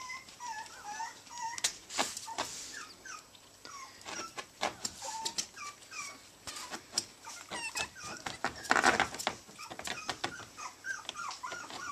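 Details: Playing teacup Chihuahua puppies, three of them, in Houston, Texas: thin descending whimpers and little squeals come in loose bursts, mixed with bumps, scratching and rustling from the romping pups.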